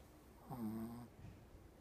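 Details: A blind 14-year-old Shih Tzu with terminal cancer and seizures gives a single low, droning groan lasting about half a second, 28 Oct 2017.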